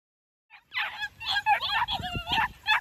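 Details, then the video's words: New Zealand Huntaway puppies giving a burst of high overlapping yips and squeals, several pups calling over one another in a short, busy run. "NZ HUNTAWAY PUPPIES"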